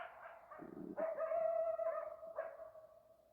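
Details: Arizona coyote call: a wavering yip, then a strong sustained howl at a steady pitch, a brief rising yelp and a fading tail.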